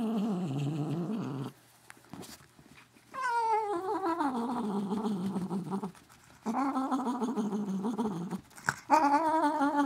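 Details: Katherine, a pet cat, makes strange sounds as her ears get rubbed, long quavering moaning calls that start high and slide down, then waver in a low warble, in three extended bursts with brief pauses and handling noise.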